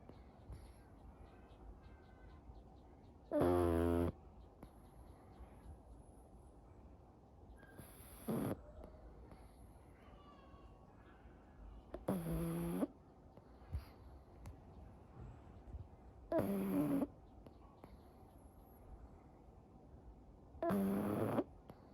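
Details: Pug named Anko, a pet that dozes off quickly and snores in daily life, asleep or awake: five loud, raspy, rattling snores about every four seconds, each a harsh buzzy burst, with a quiet room hum between them.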